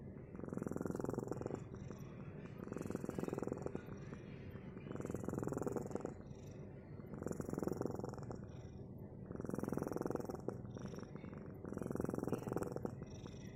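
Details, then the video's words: Close, rhythmic purring of a cat: deep rumbling swells repeating about every two and a half seconds with each breath, very even and unbroken throughout. "Kitty mendengkur"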